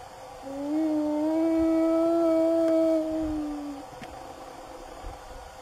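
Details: Wild spotted hyena in Africa calling the rest of the clan: a single long, steady hooted note with clear overtones, held about three seconds with a slight rise before fading, over a quiet background.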